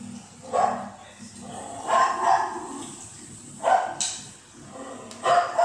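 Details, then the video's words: Young female Cocker Spaniel barking in response to TV, giving four separate sharp barks spaced about a second or more apart, with television audio and a low hum underneath. "my puppy responds to TV"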